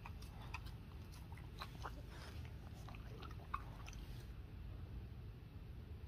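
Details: Boston Terrier eating watermelon indoors: soft, scattered biting and chewing clicks through the whole stretch, quiet and close, over a steady low room hum.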